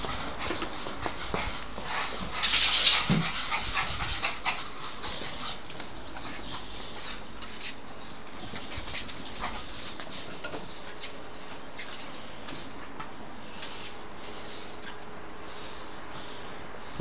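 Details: Lancillotto the pug, during his wild indoor play frenzy in Teramo, Italy, gives a short cluster of loud, rough barks and whimpers early on, then only scuffling and rustling follow, with a man's Italian voice asking for the paper back.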